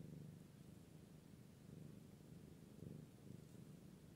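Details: British Shorthair cat, a British Blue, purring indoors: a soft, steady low rumble that holds evenly throughout with faint pulsing and no other clear sounds.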